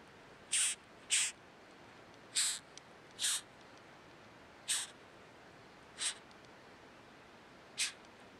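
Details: Hime kabuto rhinoceros beetle held on a hand, squeaking continuously; seven short, sharp, scratchy high squeaks come at uneven intervals of about one second or more, against quiet background.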